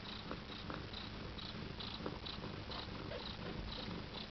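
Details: Siberian cat mother with her first litter of kittens, nine days old, purring in a low, steady, continuous rumble, with faint high squeaks recurring about twice a second.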